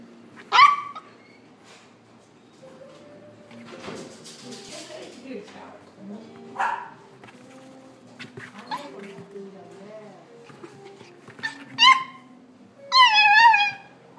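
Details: Male red Toy Poodle puppy born December 2017, kept in a pet shop, giving a few short, high yappy barks, single at first and then a quick double burst near the end, with people talking quietly in the background.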